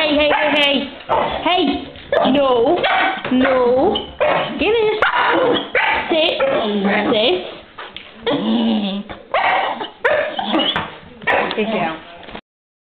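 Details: Excited female house dog welcoming her owner home after an hour alone, producing a long run of looping, sing-song whines and yowls with brief pauses, alongside the owner's voice.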